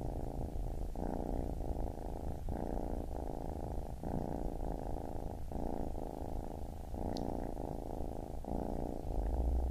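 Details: A baby kitten purrs continuously, a deep rumbling drone pulsing in regular inhale and exhale cycles roughly every second, with one faint tick near the end.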